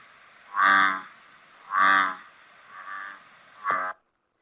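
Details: An American bullfrog calls from a pond with its deep jug-o-rum. Three low, resonant croaks come about a second apart, followed by a shorter, sharper note.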